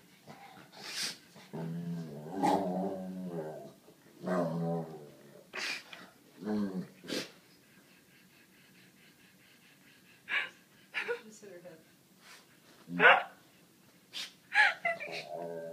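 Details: Sadie, a talkative 7-year-old white Labrador, complains for attention and tries to get a black pug to play, giving a string of moaning, growly whines early on, then sharp clicks and knocks in a small room.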